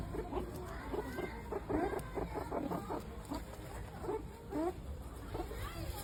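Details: Meerkats, a member of the mongoose family, giving a busy stream of short chirping and squeaky calls, many overlapping, with frequent quick rising and falling notes over a steady background hum.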